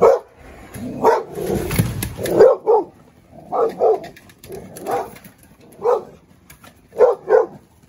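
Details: A seven-month-old Dogo Argentino loses his temper, reacting for the first time; a steady run of deep, gruff barks, often in pairs, repeated roughly every second with short gaps and some handling noise early on.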